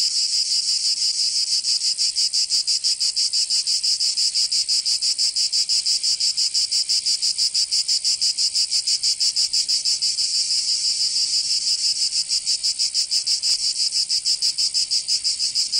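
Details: Long, steady summer cicada song from Provence in southern France: a piercing, high, buzzing drone with rapid even pulsing, a single faint click near the end.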